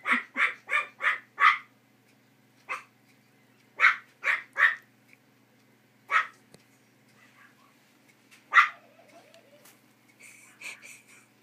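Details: Puppies at play give a run of five quick high yappy barks, then scattered single barks and a few softer whimpering yips near the end.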